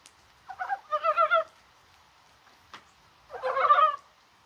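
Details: Two bursts of pulsed, gurgling croaks from a mountain frog on a mild, rainy 21 January, separated by a quiet gap with a single faint click.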